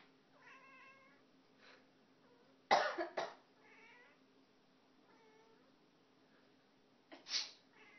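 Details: Aster, a pet cat perched on her cat tower, answers human coughs with several drawn-out, tonal meows. One comes before and two after a pair of sharp coughs, then another cough near the end, indoors in a quiet room.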